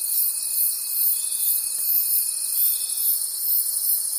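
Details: Crickets calling at night in a forest, a dense high shimmering chorus pulsing steadily, with a thin steady tone running through most of the clip.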